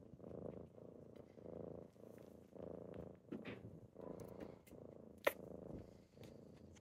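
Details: Morning purring from kittens waking their owner, softer and quieter here, the rumble pulsing in breath-length waves about every 0.7 seconds, with one sharp click near the end.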